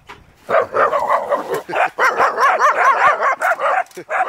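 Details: A small female neighbour's dog that barks at everyone and everything that moves gives a rapid, nonstop volley of shrill, yappy barks, several per second, outdoors near a house.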